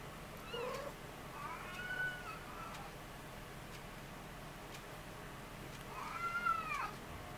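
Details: A Ragdoll cat born 20 February 2015 gives two drawn-out, arching meows a few seconds apart while nursing.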